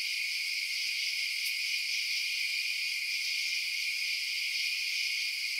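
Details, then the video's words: Crickets chirping at night: a dense, steady high-pitched chorus that hums on without break or pause, with no other clear sounds. "Night Sounds Crickets Chirping"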